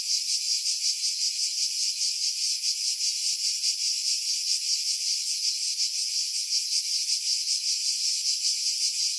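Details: Cicadas singing in pine trees about 50 m above the sea at Pefkos Bay, Skiros Island, Greece, in July 2018: a continuous high, dense buzzing chorus with a fast pulsing shimmer, no other sounds; wind noise filtered out.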